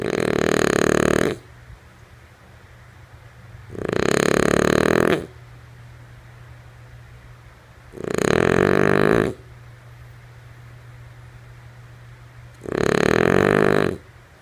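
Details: A sleeping female French Bulldog snoring indoors: four long, raspy, rumbling snores, each lasting about a second and a half, spaced roughly four seconds apart, with a faint steady hum filling the quiet gaps.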